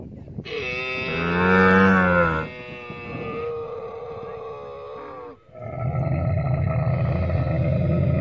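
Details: Camel giving a long, deep harmonic moan that swells in loudness over about two seconds, then drops into a lower, steadier drone with a rough, buzzing groan at the end.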